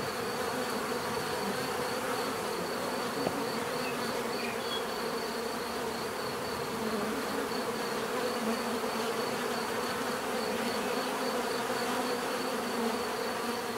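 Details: Many bees humming together in a constant, full-bodied drone, low tones steady from start to finish, with a faint rhythmic high-pitched pulse beneath and one small click near the middle.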